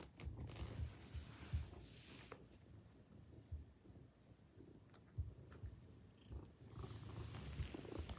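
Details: A Maine Coon at the entrance greets its returning owner with a steady, deep purr that throbs continuously near the floor of hearing. Occasional light knocks and household rustling sound around it.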